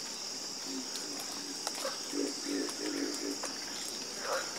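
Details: Frogs in a calming chorus, giving short low croaks in loose bursts, some doubled and some rising, over a constant high, steady insect hum.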